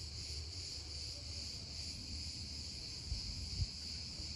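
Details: Cicadas emerging in the USA: a steady, unbroken high buzzing drone that holds evenly throughout, with a low rumble of background noise beneath and a couple of soft thumps near the end.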